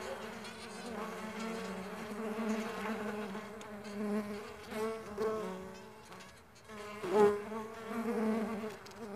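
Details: Continuous low hum of stingless bees at a bee farm, wavering drone that swells and fades, with a louder surge near the end.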